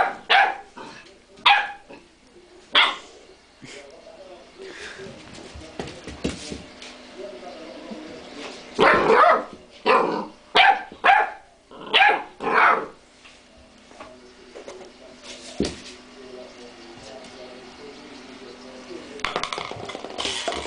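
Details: A domestic dog, outsmarted by a cream pot, barks sharply and repeatedly in uneven bursts that cluster densely in the middle. A person's voice is heard at times, and a low steady hum runs underneath.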